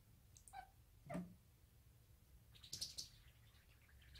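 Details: A 5-month-old female odd-eyed short-legged Munchkin cat chatters at a toy indoors, soft clipped clicks and chirps in bursts a second or so apart over a low hum; owner thinks she learned it from other cats.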